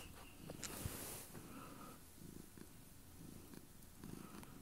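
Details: Domestic cat purring intensely while sitting on a bed with its owner indoors; a low, rumbling purr pulses in rhythmic bursts about every second, with a brief rustle or click near the start.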